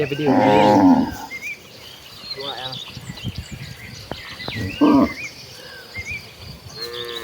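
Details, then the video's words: A tame village cattle herd walking to the rice fields, with a loud opening moo followed by shorter, fainter lows, scattered clicks and footsteps, and birds chirping softly in the rural background. "Rombongan sapi lembu jinak yang sedang menuju ke ladang, suara sapi moo"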